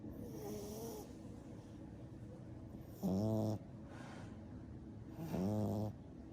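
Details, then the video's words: A sleeping 10-week-old black and brindle French Bulldog puppy gives two short, nasal, buzzy snores about two seconds apart, each lasting roughly half a second, over quiet breathing and faint room hiss. "Frenchie Puppy Baby Sleeping and Snoring"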